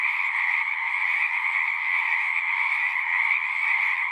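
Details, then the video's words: Frogs singing en masse, a thick, even chorus of rapid trills layered into a bright high band over a softer lower one, steady from start to finish. "One hour of singing frogs."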